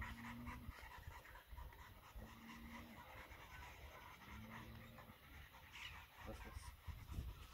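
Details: Dog in a kennel for the first time, possibly named Leo, panting steadily in quick low breathy bursts, with three short steady low tones sounding in the background.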